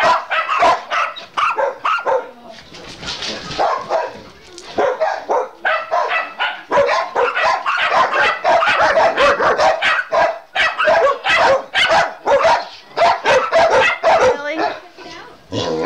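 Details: Dogs named Jeb, Oliver, Scotty, Elvis, Chase, Gypsy and Brittany getting loud as one is dried off; a rapid, irregular chorus of sharp barks, about two a second, overlapping throughout, with brief human speech.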